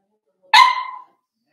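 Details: A four-week-old Cavalier King Charles Spaniel puppy from Daisy's litter, indoors in its pen, gives one sharp yelp. The bright, ringing cry lasts about half a second and drops slightly in pitch as it fades.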